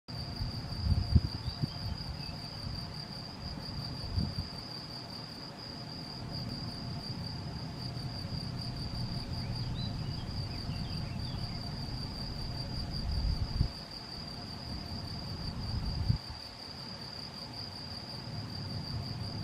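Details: Male field cricket (Gryllus campestris) recorded 7 May 2021 at Macieira da Maia, Vila do Conde, Portugal, on a Canon PowerShot SX70 HS. Steady, shrill high-pitched trill runs unbroken throughout, over a low rumbling background and a few faint chirps midway.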